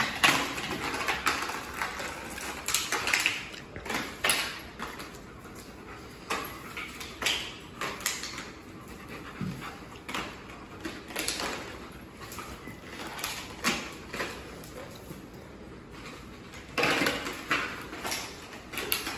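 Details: German Shepherd and Blue Bay Shepherd puppy, Zena and Denali, playing together with a water bottle indoors; whimpers and panting come in short bursts, broken by scuffling, clattering knocks and crinkling of the bottle throughout.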